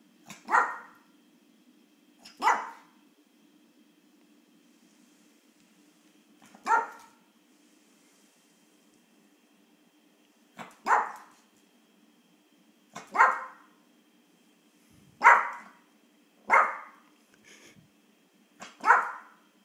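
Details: Yorkshire Terrier, a small female pet dog indoors, angry after her morning walk when a treat is not given fast enough; sharp single barks spaced irregularly, eight in about twenty seconds, with a steady low hum in the background.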